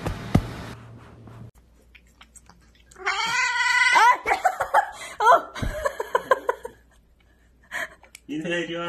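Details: Domestic cat meowing: a few drawn-out, harmonic meows with rising and falling pitch around the middle of the clip, followed by short chirping calls, then a final meow; people talking and laughing before and after.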